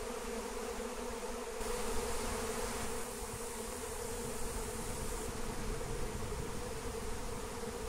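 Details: Honeybee swarm on the wing, wild, being collected with lemon balm. The swarm's steady hum runs throughout beneath heavy low rumbling and rustling, with a brighter hiss in the first and last seconds.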